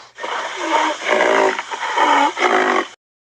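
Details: Rhinoceros growling and grunting in three rough, moaning bursts over about three seconds, each swelling and fading, with a low rumbling undertone.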